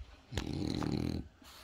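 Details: French Bulldog at home in a home office beside the TV, talking to its owner with little snorts and grunts; one low, throaty drawn-out grunt lasting about a second, then quiet.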